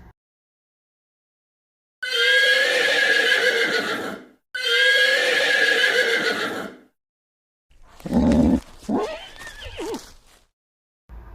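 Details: Pig making a steady run of harsh, noisy squeals mixed with grunts in quick bursts for about five seconds. The sound is loud and rough, then stops abruptly.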